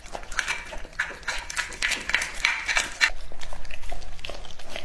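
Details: Lucky, a two-and-a-half-year-old English-type Labrador Retriever, eats raw meat indoors. Quick, irregular crunching and smacking bursts come about four per second, with sharp clicks between the chews.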